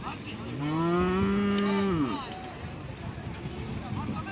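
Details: Cattle at a natural mating of cow, bull and buffalo: a single drawn-out moo, level and strong for over a second, then dropping away, followed by quieter background lowing and farmyard noise.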